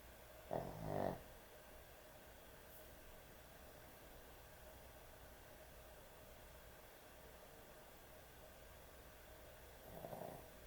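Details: Heavy snoring from a sleeping dog at bedtime: a double rasping snort near the start, a long quiet stretch, then a softer snore close to the end over a faint background hum.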